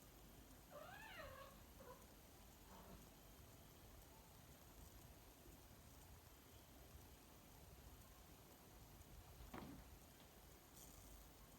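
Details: Cat just moved into a new home, one clear bending meow early on followed by a shorter weaker one, then only steady hiss and a single click, all under heavy background noise.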